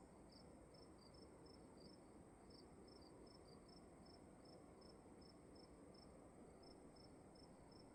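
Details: Night crickets in a dark room: a steady run of short high-pitched chirps, two interleaved pulse series briefly clustered then evenly paced, over a low continuous room hum.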